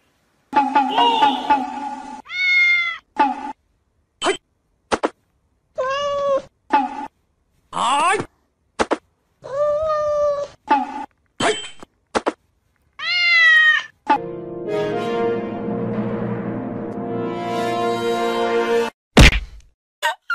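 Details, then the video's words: Kittens meow in a rapid series of short, bright calls, some rising and some falling, separated by brief silences. A longer, steady, droning harmonic tone fills the last few seconds. "CUTE KITTENS MEOWING"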